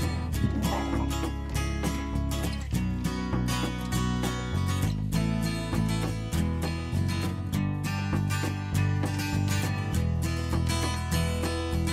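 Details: Strummed acoustic guitar music plays steadily throughout, with no animal sound audible.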